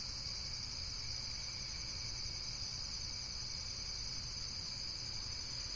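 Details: Nature recording of insects producing a constant, high, rapidly pulsing shrill trill, a dense uninterrupted chorus over low steady background noise.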